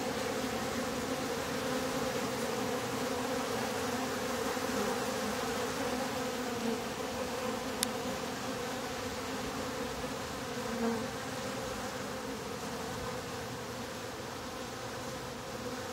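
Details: Honey bees at a top bar hive, as its bottom board is being closed, fill the air with a dense, steady hum, a low droning buzz that never breaks.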